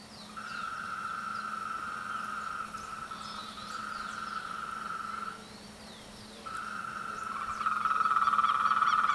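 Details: A frog chorus during the breeding and courtship period: continuous mid-pitched trilling from several callers, a short gap around six seconds, then a louder trill returns, over a faint steady low drone.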